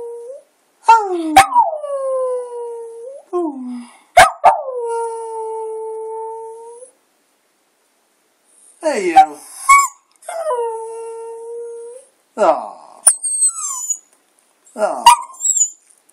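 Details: Domestic Border Terrier moaning and howling as if singing: a series of yelps leading into sustained, level howls, several phrases broken by silences, some short whimpering rising notes near the end.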